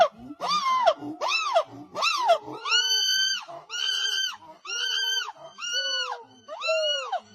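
A monkey gives a rapid series of loud, squealing calls, each arching up and then dropping in pitch.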